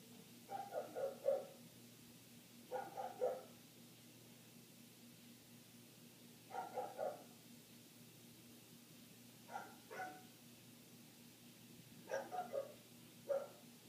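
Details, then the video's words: Dog next door barking continuously, heard through closed windows from indoors. Six bursts of two to four dull barks, spaced roughly every two to three seconds, over a faint constant hum. "Dog Barking"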